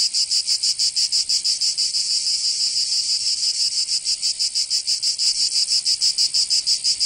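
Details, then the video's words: Provence summer cicadas, southern France: high, grating buzz with rhythmic throbbing about three pulses per second, briefly smoothing mid-clip before pulsing again, no other noises. "Canto Cigarra 🦗 [ Escuchar les cigarras en verano 10 H]"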